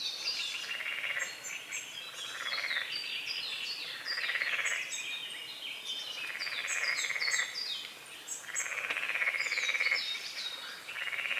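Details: Morning frog chorus over a small lake beside a forest, recorded at dawn amid fog and water lilies; rapid pulsed croaks swell and fade in roughly one-second bursts while birds twitter high overhead.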